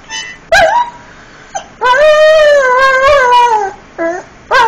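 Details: Frebie, a pet Irish Setter, sings in a long wavering howl lasting about two seconds. The howl is bracketed by short sharp yelps or bursts and a brief steady tone, with some musical sound behind.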